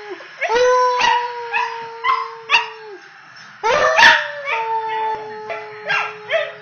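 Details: A female Pembroke Welsh Corgi close to 10 months old, just finding her voice and "singing," howls in long, steady, slightly wavering tones broken by sharp yips.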